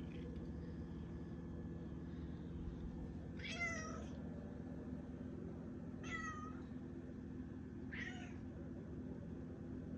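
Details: Cat Malia up early and meowing at its owner, three short harmonic meows spaced about two seconds apart against constant low humming noise.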